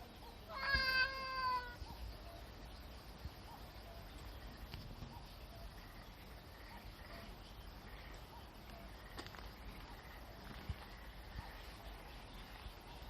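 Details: Cat resting on top of a sunshade tarp that sags like a hammock gives a single drawn-out, wavering meow near the start, followed by a long stretch of faint background hiss.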